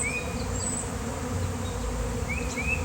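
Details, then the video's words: Swarm of bees, described as honeybees, arriving outdoors on a day of nice weather and settling while a beekeeper is called: a steady, dense low droning hum throughout, with short rising bird chirps over it. "Giant Bee Swarm came out of nowhere!"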